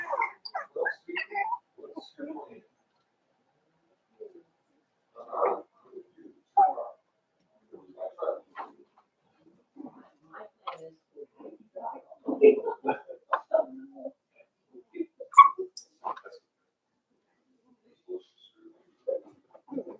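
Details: Five-week-old Cavalier King Charles Spaniel puppies of Daisy's litter in their puppy pen give short squeaky whimpers and yips in irregular bursts, several in quick clusters separated by brief quiet gaps, with no other clear sounds.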